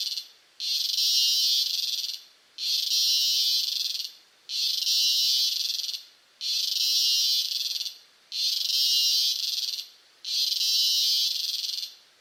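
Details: A cicada recorded close up in Costa Rica gives loud, harsh buzzing bursts, each lasting over a second, repeated roughly every two seconds.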